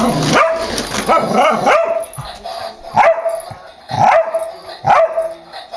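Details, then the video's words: Pet dog barking ferociously at a remote-controlled toy car its owner drives toward it; several sharp barks, a cluster early then single barks near three, four and five seconds, with background music, clapping and a person urging it on. "Bode Hates The Turbo Twister"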